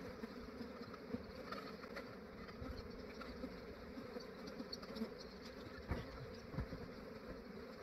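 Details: Continuous low humming from a large honey bee swarm during capture in Australia, early morning before warmth roused the bees. The buzz is broad and even, with occasional soft bumps and faint low rumble beneath.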